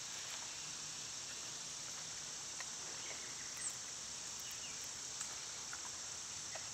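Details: Cicadas in summer, with wild birds and squirrels in the area: a steady, high, unbroken hiss-like drone that holds one level throughout, with a few faint ticks and soft chirps scattered over it.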